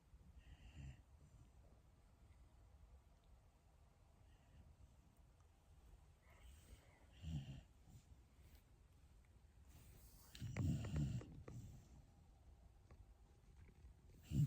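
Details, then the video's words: Shiba Inu asleep, giving slow, low rumbling snores and breaths roughly every few seconds, one louder snorting burst near the end of the stretch. "#snoring #shibainu"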